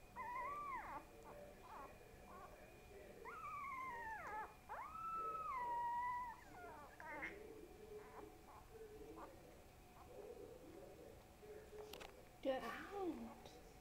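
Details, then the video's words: Small growing pet dog called Boo Boo gives short rising-falling whines, then a long wavering howl lasting about three seconds that slides downward, followed by softer scattered whimpers and a brief louder squeal near the end. "BOO BOO makes noises"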